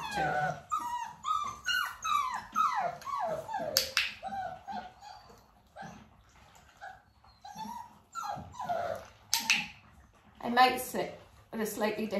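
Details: Dalmatian puppies, nearly six weeks old, indoors during clicker training while their mother Arya spends time with them: rapid bursts of high, downward-sliding whimpers and yelps crowd the first four seconds, then come sparser, with scattered sharp clicks between them.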